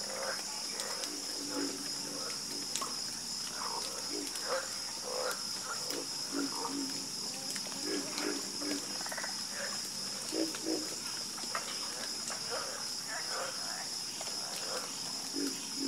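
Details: Many frogs croak together in a calming chorus, with short bursts of low to mid-pitched croaks overlapping in uneven clusters throughout, while a steady shrill insect drone hums above them.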